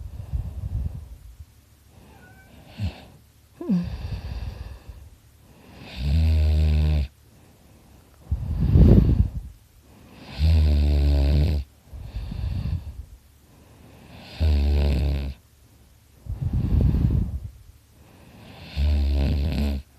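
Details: Sleeping dog Dakota snoring loudly indoors, with steady cycles of deep rattling, buzzy inhales alternating with breathy rumbling exhales, roughly one full breath every two seconds.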